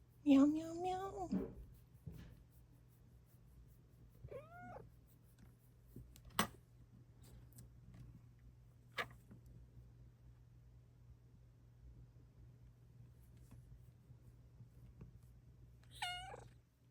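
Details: Luna, a pet Bengal cat, meowing indoors one morning: a loud, drawn-out wavering meow opens, then a short rising chirp-meow mid-way and another brief meow at the end, with quiet room hum and a few sharp clicks between.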